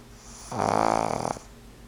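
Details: Fran Q, a two-year-old pug, snores while the television plays; one loud, harsh, vibrating snore of under a second, fast fluttering pulses, followed by a soft fade into room quiet.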